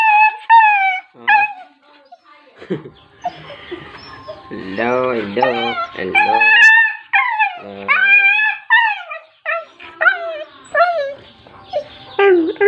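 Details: Dogs whining and whimpering in long, high, wavering tones that rise and fall, some drawn out like short howls, others clipped into quick yelps, coming in close repeated bursts with brief pauses throughout.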